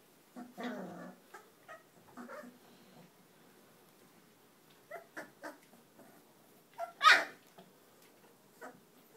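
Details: Cane Corso mix puppies, 22 days old, give short whimpering squeaks and yips in scattered bursts, with one louder high-pitched yelp near the end and quiet rustling between calls.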